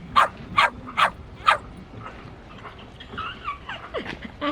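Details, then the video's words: Shetland sheepdog giving four sharp, piercing barks in the first second and a half, then quieter whining, yelping sounds toward the end. "Sheltie Barking Sound Effect | Sheltie Dog Barking"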